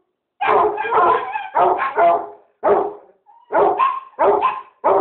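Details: Two dogs, a Basset Hound and a Chihuahua, bark in loud, clustered volleys of rough barks with short gaps. A brief thin whine comes midway before the barking resumes in quick pairs.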